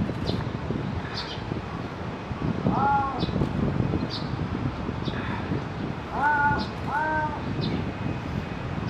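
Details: At Higashiyama Zoo in Nagoya, a Pallas's cat calls eagerly, as if appealing to another Pallas's cat. The calls are short, tonal and slightly wavering, in small bursts over a steady background rumble.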